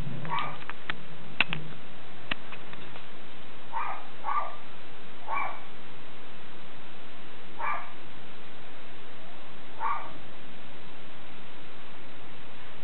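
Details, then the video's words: Schipperke named Captain Jack Sparrow guarding the house: a series of short, fairly faint barks spaced about two seconds apart, with a couple of sharp clicks near the start and a steady low hum beneath. "Schipperke Guarding The House"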